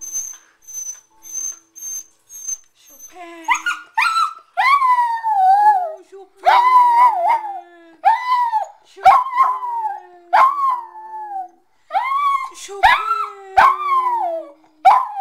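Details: Pet Corgi indoors singing along as its owner plays Chopin's Prelude Op.28 No.7 on piano; after soft high piano notes, the dog gives a series of wavering, rising-and-falling howls and yips, with sustained low piano tones underneath.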